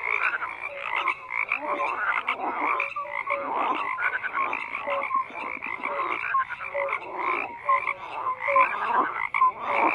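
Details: Overlapping croaks from a crowd of frogs form a steady rough chorus, surging and easing irregularly, with brief tonal notes sounding between the harsher calls.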